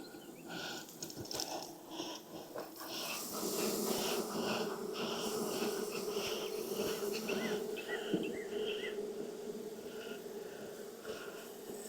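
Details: Honey bees at a beehive in Texas, inspected on a hot day of about 92F after three weeks of rain kept the keeper away; a steady low droning hum runs throughout, with faint clicks and rustling handling noises above it.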